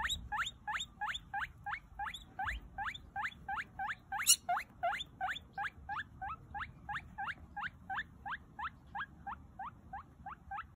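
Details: A baby guinea pig, the loudest of its group, wheeks insistently for food, giving a rapid run of shrill, rising squeaks.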